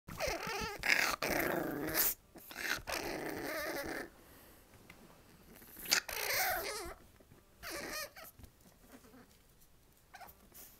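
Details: Izzy, a dog that wants to be picked up, growls and whines indoors in uneven bursts with short pauses and some handling noise between them.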